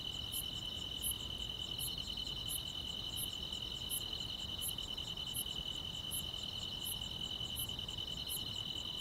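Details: Grass insects on a summer night: a steady, unbroken high trill runs throughout, with sharp very high chirps repeating about every 0.7 seconds and a soft low background hiss.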